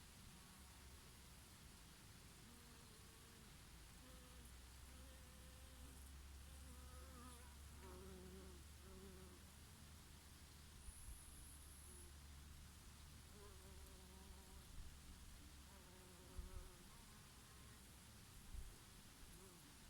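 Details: Summer honey bees working oregano flowers. A string of short humming buzzes rises and falls in pitch as individual bees fly close and drift off. A constant low breeze rumbles throughout, with one brief high hiss midway.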